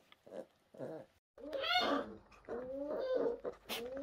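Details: Tiny, fragile orphan brown bear cubs at a rescue centre, 2023: brief soft grunts, then drawn-out wavering harmonic squeals rising and falling, with a sharp high squeak near the end.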